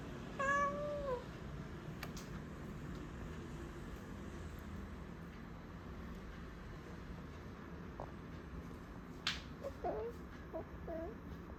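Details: House cat indoors near a refrigerator it jumped onto: a single short, falling meow near the start, then mostly quiet room hiss with a few faint clicks and soft chirrups toward the end.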